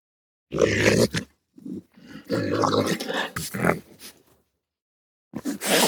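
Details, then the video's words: Raccoon making rough, throaty growls and chattering grunts in uneven bursts of about a second, separated by brief silent gaps, ending with a hissing burst. "What does a raccoon sound like? | Real raccoon sound"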